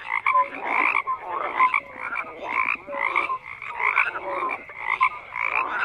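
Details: Group of frogs croaking in rhythmic rough pulses roughly twice a second, each burst broad and rasping, with short clear tonal notes mixed in.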